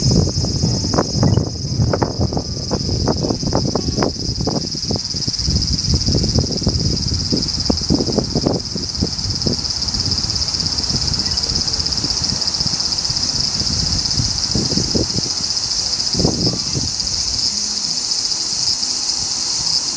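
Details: Continuous dry sizzling drone of a large brown cicada, held at a high even pitch throughout, with bursts of low knocking and rustling noise in the first half that fade later.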